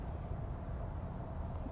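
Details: Male cougar at Big Cat Rescue, an orphaned cub whose mother was shot by a hunter, purrs in a deep, steady, continuous rumble with no breaks.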